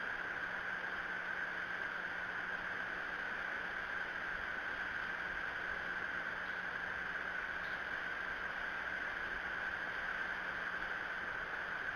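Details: Steady broadband hiss like wind or rushing water, with a constant hum and no clear animal calls.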